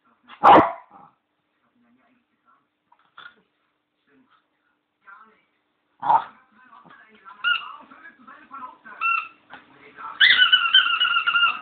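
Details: Bichon named Leo playing indoors with his squeaky bone: two sharp, short barks several seconds apart, followed by a run of high, tonal squeaks from the toy and faint background noise.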